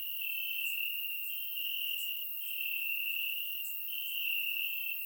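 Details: Crickets chirping in grass on a warm summer night in Bulgaria, recorded with a surround microphone: a dense, steady high-pitched trill forms a continuous ringing band, with faint higher clicks scattered over it and no other sounds.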